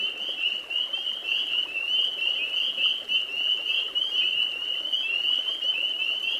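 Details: Chorus of spring peepers, amorous males whistling at night near ponds and swamps in eastern North America around the start of spring: a continuous band of high, rising peeps overlapping constantly, bright and sleigh-bell-like, with no other sounds.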